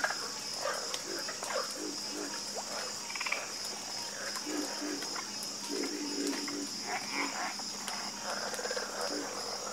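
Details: Harmonious chorus of croaking frogs, with many low knocks and rattling pulses from several callers overlapping, and a continuous high buzzing hum of insects in the background.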